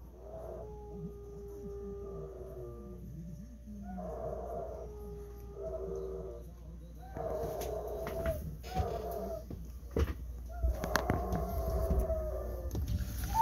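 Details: Golden Retriever named Bis howling along to the five o'clock public chime playing the tune "Furusato", restless at first and wagging its tail; long, sustained, mournful tones that swell and fade in a melodic line over steady outdoor background noise.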